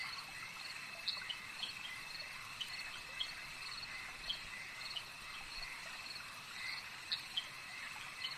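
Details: Frogs calling at a lake, a dense continuous chorus of high, shimmering trills layered in steady bands, with short bright chirps popping out every second or so; no other clear sounds above the chorus.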